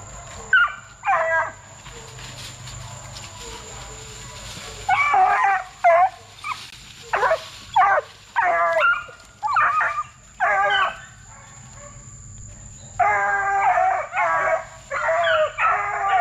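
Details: Young Plott Tan hounds, a Plott hound and black and tan coonhound cross aged 8 weeks to 5 months, kennel-raised for deer tracking, give about fourteen short yelping barks and bays in bursts, with a faint steady high whine throughout.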